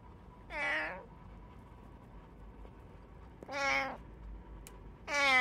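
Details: A domestic cat in a home with three cats, recorded 21 September 2023, giving three clear harmonic meows about two seconds apart, each arching then falling, with a steady faint hum in the room.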